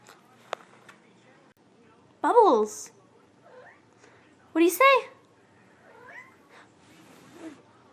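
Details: Chatty kitten, pet indoors, giving two loud drawn-out meows that slide downward, the second higher and brighter, plus a few soft short mews; a person speaks quietly before and between the calls.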